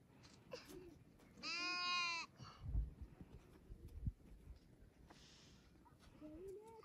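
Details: Kids fighting for a feeder bottle give one strong, tremulous, richly harmonic bleat lasting under a second, followed by thumps and handling noise, then brief higher rising calls and faint voices near the end.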